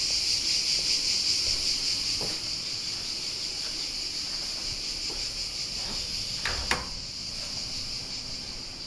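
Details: Cicadas at Alberese, Italy; a continuous high, even shrill drone fills the whole clip, fading slightly, with a few soft knocks and a sharp click near the end.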